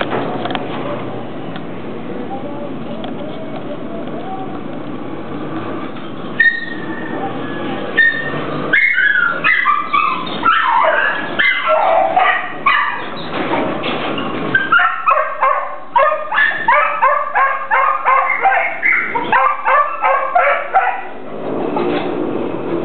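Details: Hungry Pit Bull whining and yipping: after a few seconds of low background rumble, high harmonic cries and short yelps tumble out rapidly and unevenly, growing denser toward the end.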